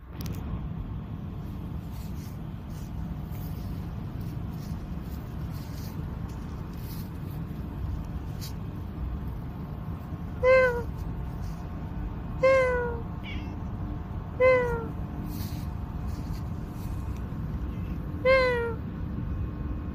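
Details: Cat out at night in a park, giving five short harmonic meows that fall slightly in pitch, spaced about two seconds apart from the middle of the recording onward, over a steady low hum of traffic and a faint voice.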